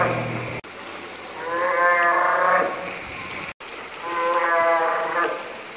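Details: Two quavering, sheep-like harmonic bellows from a bull northern fur seal in the Pacific, each about a second long and separated by a short pause, with faint background rumble and abrupt cuts.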